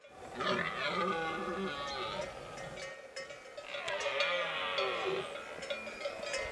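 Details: In the Pyrenean mountains at the end of September, a rutting red deer stag gives two drawn-out, deep groaning roars with wavering pitch, separated by a brief pause, while livestock bells clink constantly in the background.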